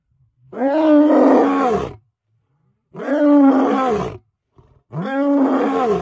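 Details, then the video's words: Lion roaring at very close range: three long, loud, harmonic roars, each rising then falling in an arch-shaped pitch contour and lasting one to one and a half seconds, separated by brief silent gaps, with a faint short grunt before the last. "Ever seen a lion roar this close?"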